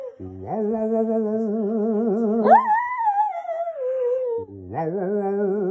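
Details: A Lhasa Apso, a singing dog, howls in a rising, then slowly falling wail over a low, wavering hum.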